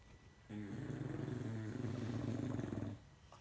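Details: A sleeping English Bulldog snores in a long rattling breath lasting over two seconds, a low harmonic drone with rapid fluttering pulses, indoors in a quiet small room.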